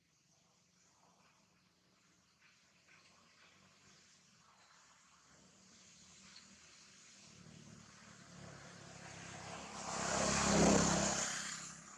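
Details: A quiet background hum swells into a loud, broad roar near the end, like a passing engine, with no animal calls.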